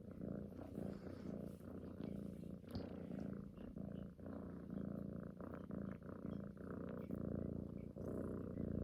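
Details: Female pet cat cuddling close, snoring-like purr while suckling at a neck as if nursing, a daily morning and night habit; steady low rumbling purr in even pulsing breaths throughout, no other sounds.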